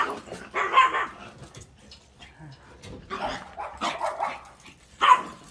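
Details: Dogs barking in short bursts at intervals, broadband barks at about one, three to four, and five seconds, with a person calling out to them between barks.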